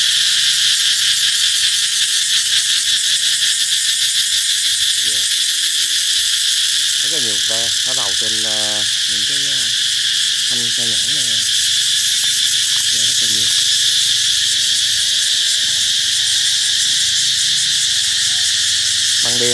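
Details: Cicadas ring out as summer approaches, their shrill, unbroken buzzing drone steady for about twenty seconds, with a human voice talking intermittently through the middle stretch.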